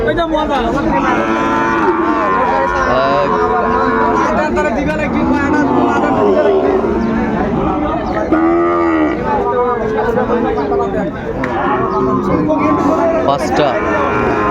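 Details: A Sahiwal breed bull at a Munshiganj cattle market, 28 February 2025; repeated moos of varying length rise and fall, one fuller call near the middle, with people talking and market bustle throughout.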